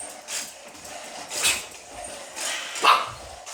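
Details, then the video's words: A little pet dog barks at a robot dog, giving three abrupt barks roughly a second apart, the first faint and the last loudest, with a quiet background in between. "muj piesek szczeka na zobotowego psa"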